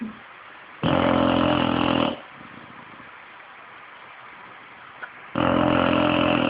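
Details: A 5-year-old English bulldog snores in loud, rasping breaths, with quiet pauses of several seconds between them.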